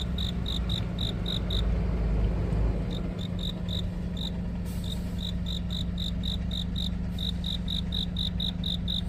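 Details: A cricket chirps in quick, high, evenly spaced pulses over a steady low hum on a deepening autumn night in Korea; the speaker wonders whether it might instead be a katydid.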